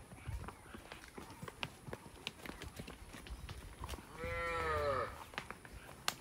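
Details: Village cow roaming in a peaceful rural setting gives one short, tonal moo that slides downward in pitch, about a second long, amid steady background noise and scattered clicks.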